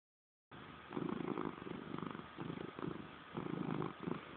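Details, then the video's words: Salem, a domestic cat, purring in what is called a passive-aggressive manner; low rumbling bursts in slow rhythmic pulses after a brief silent start, steady and close. "Salem Purr"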